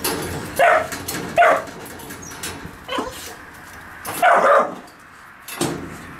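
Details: Dog barking in a kennel where puppies and Gunnar are kept: five sharp, loud barks at uneven intervals over about six seconds, with quieter rustling between them.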